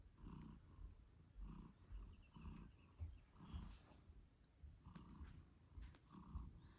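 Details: British Shorthair mother cat purring beside her kittens eight days after birth; deep, rumbling purr pulses in regular breath cycles about every half second, with faint faster higher squeaks from the kittens in the background.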